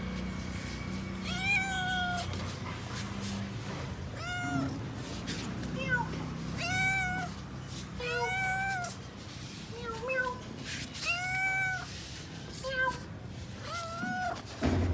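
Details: A hungry kitten, an unexpected guest at a home, searching for its parent cats, gives about eight loud, drawn-out meows with rising then falling pitch, coming every one to two seconds over a low background hum.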